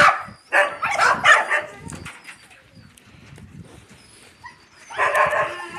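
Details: Barking from Yakutian Laika puppies beside their mother Rumba: a loud cluster of harsh barks at first, a quiet stretch with soft rustling, then another burst of barking at the end.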